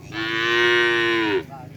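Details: A newly acquired bull being trained for karapan sapi bull racing in Madura, Indonesia; one loud, steady, nasal moo held for over a second, then a short soft tail-off, with faint background noise.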